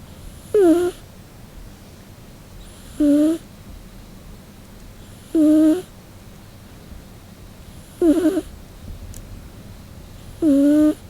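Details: Scottish Fold cat named Nano-chan snoring while asleep in summer heat: five short whistled, nasal snores with a rising harmonic tone, roughly every two and a half seconds, over a quiet room hiss.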